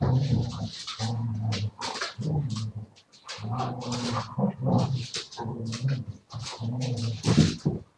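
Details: Siberian Husky vocalising, recorded 7 February 2019: drawn-out, moaning harmonic yowls in bursts of about one second, separated by brief pauses, with breathy noise between the calls.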